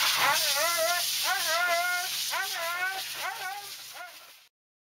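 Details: Thunder, a Siberian Husky, cries and howls during grooming: four or five wavering, sing-song whine phrases with bending pitch, over a constant hissing noise, then sudden silence.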